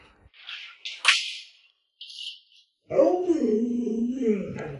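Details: Luoluo, a pet Alaskan Malamute kept indoors, after a few scattered noises launches into a sustained, wavering, moaning vocalization lasting about two seconds, with a rough, talkative quality.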